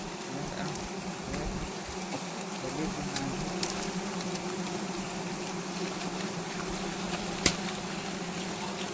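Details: Wild honey bees disturbed during a honey harvest, stinging people nearby: a continuous droning buzz with a steady low hum and overtones, a sharp click near the end, faint voices underneath.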